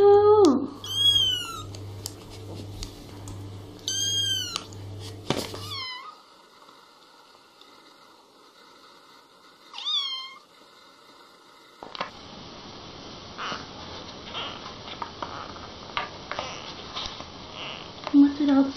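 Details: Kitten meowing and talking indoors: a few clear, arching meows with bright rising-and-falling harmonics early on and another pair near ten seconds, then a stretch of rustling, clattering room noise.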